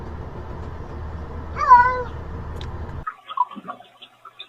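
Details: Domestic cat giving one drawn-out meow that rises and then falls, set against a steady low hum that cuts out midway, followed by a few faint soft clicks and rustles.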